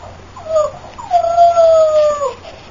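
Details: Tasha, a female AKC Boxer puppy from champion lines, gives two high, whining whimpers indoors: a short one, then a longer, drawn-out cry that holds steady and slides downward at the end, over a faint low hum.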